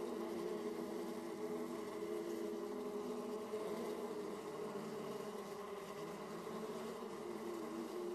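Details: Honey bees at beehive entrances in Austria, 31 March 2014 at 18°C: a steady, layered hum of many bees, a continuous drone with no pauses.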